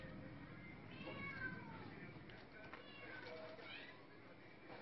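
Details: Maine Coon kitten giving two thin, high meows, one near the first second and another near the third, each a short rising-then-falling wavering cry, over a steady low hum and background noise.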